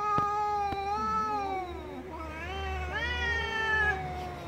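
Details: Cat. An angry domestic cat lets out a sustained, nasal yowl lasting several seconds. The tone sags in the middle, then climbs again into a tense, rising wail before trailing off.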